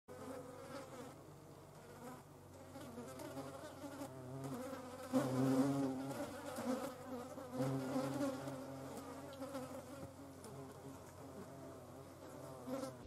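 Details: Hornet hunting carrion flies, a steady droning wing buzz with stacked low harmonics that swells and fades as the insect moves, louder around the middle, over a faint background hum.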